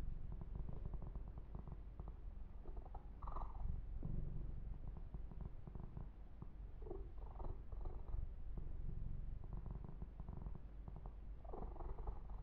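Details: Ear-to-ear recording of Yumak, a male pet kitten, purring through a massage: an even, low, continuous purr beneath frequent crackling rubs and brief brushing swishes from grooming his fur.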